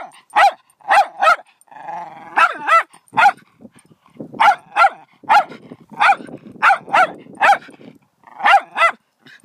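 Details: Rapid, persistent dog barking, mostly in pairs of sharp barks repeated throughout, with one brief whining moan early on.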